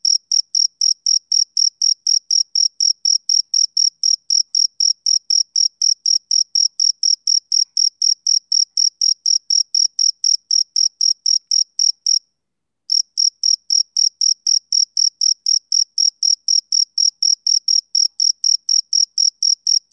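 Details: Summer-evening chirping of a male cricket: a fast, regular train of shrill pulses, about four per second, broken by one brief pause of under a second midway before resuming unchanged.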